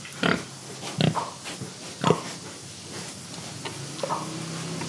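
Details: Pig in Indonesia grunting in short bursts, three loud harsh oinks about a second apart followed by softer, quieter grunts, with a faint low hum underneath.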